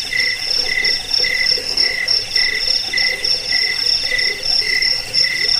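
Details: Dense cricket chorus used to drive off rats, lull listeners to sleep and train caged birds: rapid bursts of high, metallic chirps, roughly three per second, layered over a constant shrill buzz.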